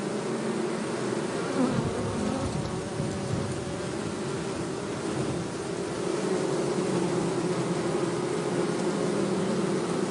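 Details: Forest honey bees at Hebri being taken from a termite mound into a beekeeping box make a continuous low buzzing swarm drone. The rough hum swells slightly and wavers throughout.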